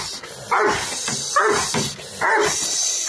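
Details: Doberman barking during protection training: three harsh, loud barks roughly a second apart, each a short burst with a clear tonal core, over a constant broadband hiss.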